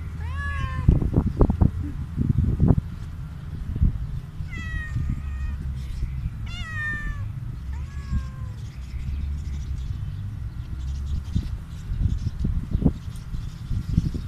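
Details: Hungry stray cat begging loudly for food, giving several clear harmonic meows, some rising then falling, in bursts around one, five and seven seconds, over low rumbling background noise and handling thumps.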